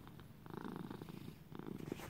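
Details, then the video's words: Pet male cat, raised as a lap cat, purring close up: a continuous low, fast-pulsing rumble that rises and falls in loudness in short waves, indoors with no other noises. "Little buddy purring"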